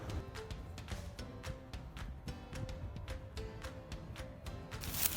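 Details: Rhythmic background music with a steady beat and short tonal notes; no animal voice is heard.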